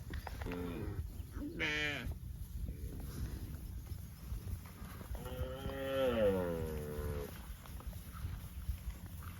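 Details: Cows roaming in the fields give several moos: two short calls early, then a longer wavering lowing moo midway, with low rumbling background throughout.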